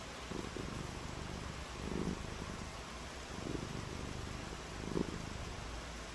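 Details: A pet cat's purr on a rainy day, heard as deep, throbbing swells that come and go in short pulses against a constant broad hiss, with one brief louder burst near the end.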